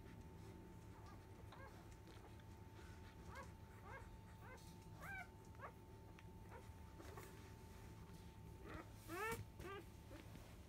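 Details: Five-day-old field-type Labrador Retriever puppy, born to the 2017 JFA grand champion biscuit, at the 10 a.m. nursing: short, faint upward squeaks come scattered and irregular over a steady low indoor hum.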